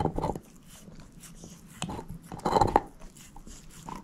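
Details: Shepherd mix dog named Moose eating a bone indoors, with bursts of wet crunching at the start and around the middle, then softer scattered clicks of bone against teeth.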